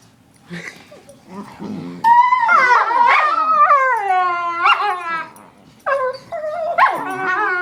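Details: Household dogs making weird sounds: soft grunts and snuffles at first, then loud warbling howls with rich harmonics, sliding down in pitch, followed by short rising whines near the end.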